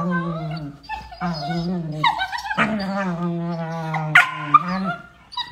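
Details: Beagle puppies at play give steady low growls that break into higher wavering whimpers and a few sharp yips.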